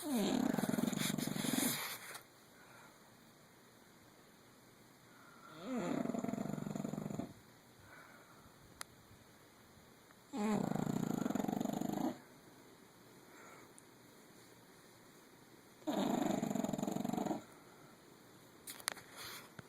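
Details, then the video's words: Female English Bulldog, nine years old, snoring loudly in her sleep: long, rumbling, vibrating snores of about two seconds each, repeated roughly every five seconds with quiet gaps between. "My English bulldog snoring up a storm"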